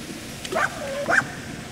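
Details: A dog at Miller Lake in southern Oregon on a summer day, where a Rat Terrier chases water striders and a mini dachshund swims, gives two short, pitched yips about half a second apart, with a faint whining tone between them.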